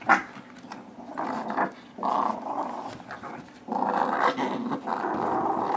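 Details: A 6-pound Shih Tzu Yorkie mix and a 9-month-old blue Doberman wrestle over a rope toy in a tug-of-war inside a room. Sustained, throaty growling rumbles almost continuously, swelling in longer waves and briefly easing between pulls.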